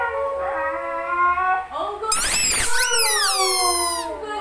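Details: Pet Siberian Husky singing indoors: long, smooth tonal howls that waver, then a sharp rising-and-falling yodel sweep, followed by drawn-out descending moans in a small room.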